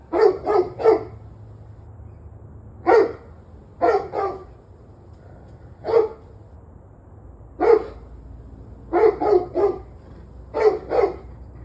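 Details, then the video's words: Domestic dog barking in bursts of two or three sharp barks on 21 November 2023 at 7:06 pm, about eighteen barks with short gaps between volleys and little other sound. "Barking Dogs"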